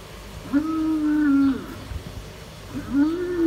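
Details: Hereford bulls fighting on a New Zealand dairy farm: two drawn-out, tonal, moaning bellows, the first lasting about a second with a slight fall at the end, the second rising after a short pause.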